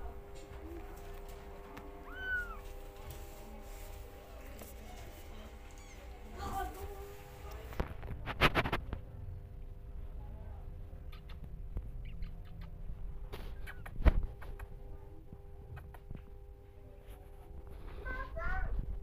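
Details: Kittens indoors, running around family members' feet, give a few short, high, rising-then-falling meows, one early and a cluster near the end, over low rumbling household noise, a steady electrical hum and bursts of knocking.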